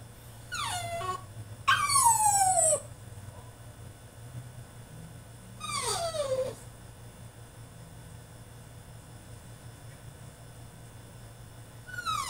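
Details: French Bulldog throwing a tantrum in his cage: high, descending whines and yelps in three bursts, with long quiet gaps and a steady low hum beneath.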